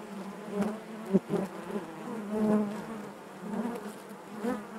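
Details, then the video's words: Many honey bees buzzing inside the hive, a low wavering drone with quick close wingbeat bursts and a louder swell in the middle. "bees therapy hive natural buzzing sound"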